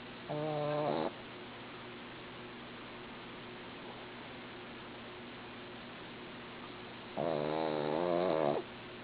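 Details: Sleeping female dog snoring loudly: two long, harmonic, nasal snores roughly six seconds apart, each lasting about a second, with quiet steady breathing noise between them.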